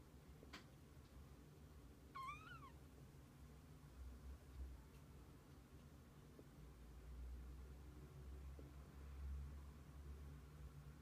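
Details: Kitten with its mother cat: one clear, high-pitched meow that rises and falls, early on, then only a quiet low rumble and faint clicks.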